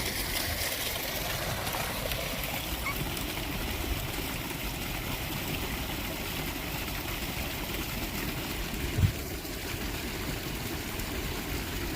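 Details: Steady rushing, stream-like noise fills the whole stretch, with a single faint knock near the end and no animal voice.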